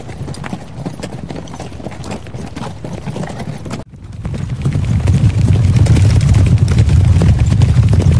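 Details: Horse hooves from riding, racing, galloping and walking footage: a quick run of low thumping beats, roughly three per second, a sudden cut near four seconds, then a louder, denser pounding rumble to the end.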